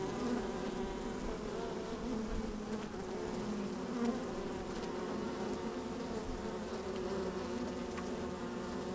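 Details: A steady deep hum of honey bees inside their hive, opened on a fine sunny day with the microphone slid down into it; the drone holds constant, with a slight swell near four seconds and faint ticks.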